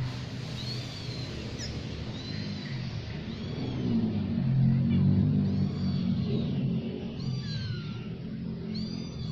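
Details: A new family of cats, with thin, high mews that arch up and fall, repeated roughly every second, several overlapping, over a steady low rumbling background.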